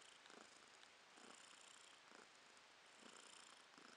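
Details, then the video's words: Romashka, a domestic cat, purring in April 2022: a soft, breathy rumble swelling and fading in even cycles of roughly one second, each inhale and exhale audible as a gentle rasp, close and quiet indoors. "Кошка Ромашка урчит:)"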